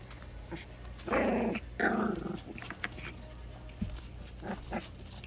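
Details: At four weeks old, the orphaned puppies Loki and Lola play indoors before their bath. Two short, rough growling bursts about a second apart are followed by faint scuffling and small grumbles.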